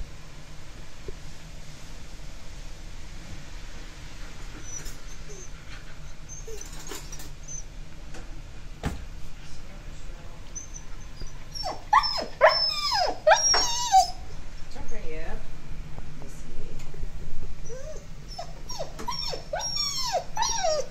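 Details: Female Alaskan Malamute named Lucy frightened by thunder in a brief summer rain; after quiet low rumble, bursts of high, wavering whines and short yelps cluster in the second half, with rain-like background noise.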